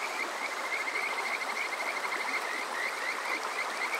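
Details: Kajika frog calling on a summer night at Water Park Shirayama, Yokoze, Chichibu, Saitama, Japan, recorded on a TASCAM DR-05X: a continuous high trill of rapid repeated notes over a steady rushing stream.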